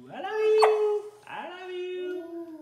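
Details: Three-year-old female Samoyed howling indoors on her birthday: two drawn-out tonal howls, each rising then holding a steady pitch, the first about a second long, the second longer and slowly falling, with a short sharp yelp between.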